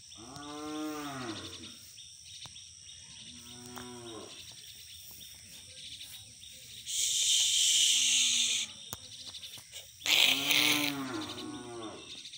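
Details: Black aggressive Hallikar bull calling: several low harmonic moos rising and falling, strong at start, shorter ones near 4 and 8 seconds, a loud moo near 10.5 seconds, with bursts of hissing noise between.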